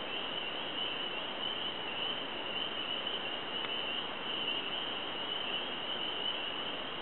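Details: A continuous, even high-pitched frog chorus from a newly wet swamp in Lowndes County, Georgia, 7 March 2012, heard but not seen; the droning trill holds level throughout with a faint click midway.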